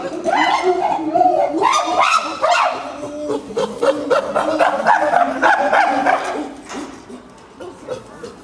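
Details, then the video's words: Several common chimpanzees at Maruyama Zoo, photographed 22 August 2010, frolicking together and calling cheerfully: loud, harmonic, hooting cries repeated rapidly over several seconds, then fading toward the end. "チンパンジーの鳴き声 Common Chimpanzee vocal"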